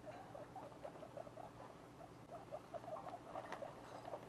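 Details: Young domestic guinea pigs, two weeks after birth, make brisk, low squeaks in quick succession, each note short and slightly bent in pitch, against a faint background hum.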